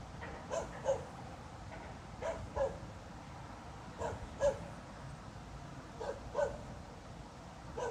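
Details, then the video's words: Dog barking for no apparent reason in the small hours of 26 November 2016, having kept on for half an hour. Clear paired barks repeat about every two seconds, quite regular, over a faint steady hum. "Снова беспричинно лает собака."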